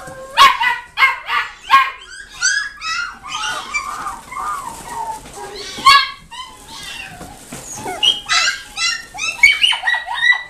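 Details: Chiweenie puppy at a pet shop in Nagoya, Japan, giving a run of high, yelping yips and whines, short bursts repeated about twice a second with bright upper harmonics, some overlapping.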